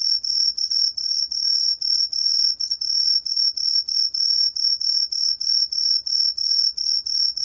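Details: Song of the 청솔귀뚜라미 tree cricket from a 2020 National Institute of Biological Resources recording: clear high-pitched chirps repeated quickly and steadily, roughly three per second, each brief and tonal, over a quiet background.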